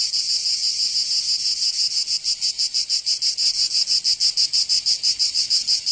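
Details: Cicadas singing in summer in Provence, southern France: a dense, high, buzzing chorus pulsing about three times a second, steady throughout with no other sounds.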